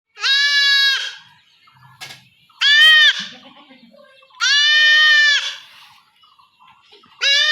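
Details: A young goat kid being castrated at home by a traditional village method in rural Bengal gives loud, drawn-out, strained bleats. Each lasts about a second, with three full cries and a fourth beginning. Faint voices are heard between them.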